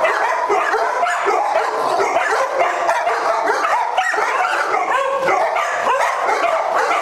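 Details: A pack of dogs at Doggie Oasis Day Care, Las Vegas, NV, caught in simultaneous zoomies on October 5, 2009; nonstop mixed barking, yelps and yips crowd together with no quiet gaps.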